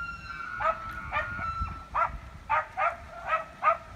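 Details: Elk clashing in a street in Evergreen, Colorado, October 19, 2018: a sustained high whistled tone runs under rhythmic, gruff grunting pulses, about one every half second, with low rumble beneath.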